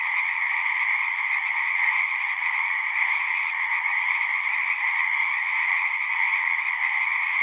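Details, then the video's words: Chorus of frogs at a pond on a horse pasture, recorded on a Zoom 6. Overlapping shrill trills merge into one steady, vibrating drone with no gaps, the only sound present. "Frogs singing"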